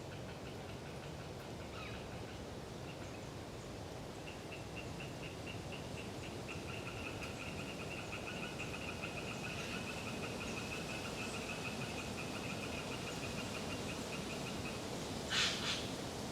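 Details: Tree frogs, Hyla orientalis, in the flooded Galeriç forest of the Kızılırmak Delta near Samsun, autumn with strong wind. A softer, steady pulsed trill runs from about four to fifteen seconds, ending with a brief sharp noise over the wind.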